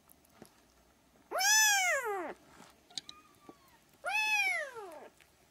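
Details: Pair of loud, arched mews from three-week-old Siamese kittens, each about a second long, rising then dropping, spaced roughly three seconds apart, with a faint thin cry between them.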